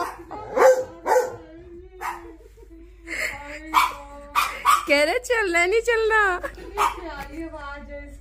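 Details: Labrador Retriever vocalizing back at its human: short yips and whines, then a long, wobbling, howl-like moan that bends in pitch, over soft background music.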